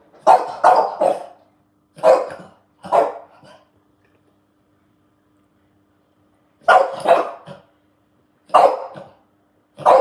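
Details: A French Bulldog barks at a washing machine in bursts of sharp, throaty barks, some doubled, with pauses between volleys.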